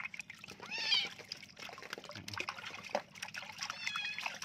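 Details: Kitten full of fleas crying while being bathed: a short, high, wavering meow near the one-second mark over splashing and pouring water, with a quiet person's voice in the background.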